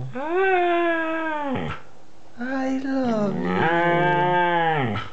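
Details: Two-year-old Siberian Husky howling and 'talking': long, smooth, harmonic vocal notes that slide up and down, in three drawn-out phrases with a short pause after the first, ending in a wavering, sustained moan.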